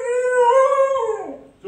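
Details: Siberian Husky reacting after being apart from its owners: a single drawn-out, tonal howl held level for about a second, then sliding downward and fading.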